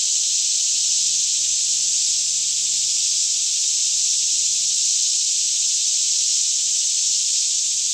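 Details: Morning chorus of numerous cicadas, about 10am, in a lush green forest near Franklin, Kentucky, with still air, recorded in stereo on a Canon 5D Mk2; a loud, uniform high buzzing carries on without a break, faint low hum underneath.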